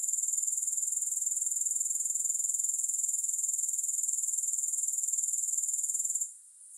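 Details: A continuous high, thin insect buzz from grasshoppers, rapidly pulsed and even, breaking off abruptly near the end and leaving near silence.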